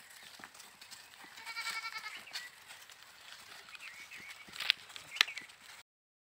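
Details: Goat giving a wavering harmonic bleat near the start, followed by noisy background and two sharp clicks before the sound cuts off.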